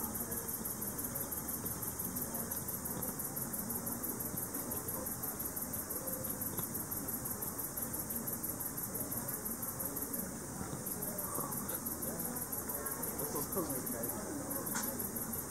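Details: Leptophyes punctatissima, the speckled bush cricket, singing in the evening. Its inaudible ultrasonic ticks are converted by a bat detector into a long, steady series of quick high clicks, pausing briefly twice, above constant low noise.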